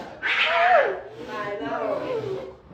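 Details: Pet cat named Mimi meowing indoors, a drawn-out mewing cry that rises and then falls, with a person's voice over it and faint background music.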